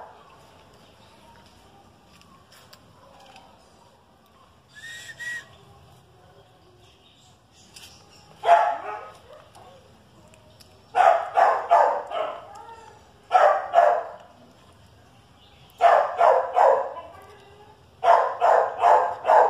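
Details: Two dogs, a Chihuahua and a dachshund, in a barking match: a quiet opening with a faint high yelp, then dense volleys of loud, rough barks, three to five per burst, repeating steadily.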